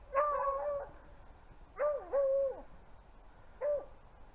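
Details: Beagle pack rabbit hunting in upstate New York, winter: three separate bays, each a sharp yelp sliding into a sustained level howl that drops at the end, over quiet wooded background.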